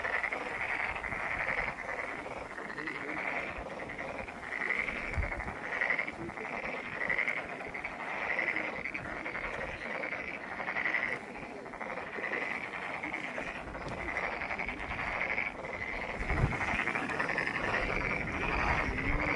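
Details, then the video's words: Chorus of many frogs at Monet's Pond, Ulsan National Garden, a continuous buzzing wall of fast pulsed croaks that swells and dips slightly, with no other clear sounds. "울산 국가정원 모네의 연못 개구리 소리"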